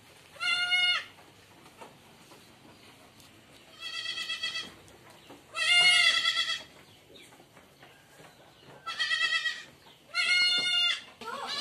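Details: Boer goats on a farm, loud nasal bleats with stacked bright harmonics, five separate bleats spaced about two to three seconds apart, each lasting under a second, over a quiet background.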